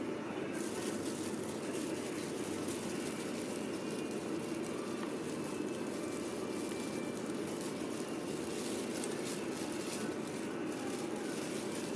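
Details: A steady broadband hiss and rumble, like a running engine or bubbling, fills all twelve seconds with no animal voice.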